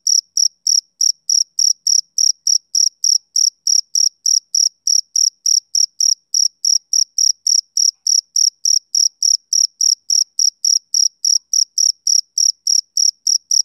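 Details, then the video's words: Rhythmic chirping of a male cricket on a summer evening, bright shrill pulses at about three and a half per second, unbroken for the whole stretch, no other sounds. "Cricket Chirping Sound Effect"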